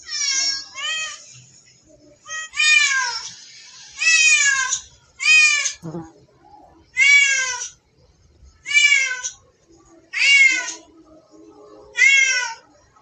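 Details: Cat playing with a mouse, giving high harmonic-rich meows, some rising then falling, repeated roughly every one and a half seconds in a series of about eight calls, with a brief faint scuffle between them.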